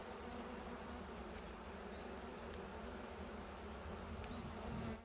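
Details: Bees at their nest in a cashew orchard while honey is taken and the bee stock is kept: a low, steady droning hum under constant hiss, with two faint short rising chirps.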